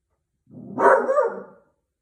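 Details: Beagle dog reacting to a doorbell indoors: one loud, short, hoarse bay-like howl of about one second, broad and raspy, swelling quickly and fading, with silence around it.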